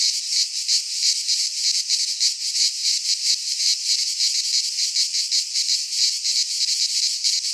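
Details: Cicadas singing in midsummer in a Greek pine forest: a dense, continuous high buzzing chorus, pulsing rapidly about three times a second, with no other sounds.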